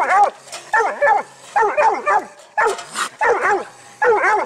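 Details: Six-month-old dog pup barking loudly in tight bursts, each a ringing, harmonic bark with a rising and falling pitch, about six bursts in quick succession, with no other clear sounds.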